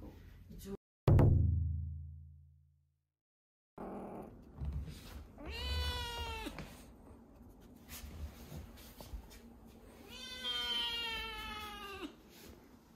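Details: A rescued kitten about ten days into foster care, said to cry a lot and high-spirited after play, gives two drawn-out harmonic meows a few seconds apart, preceded by a loud thump and followed by soft background voices.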